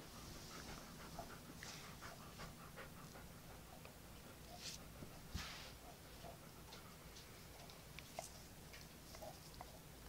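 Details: Mildly annoyed dog panting steadily indoors, soft rapid breaths over a low background hum, with faint clicks and small knocks scattered through.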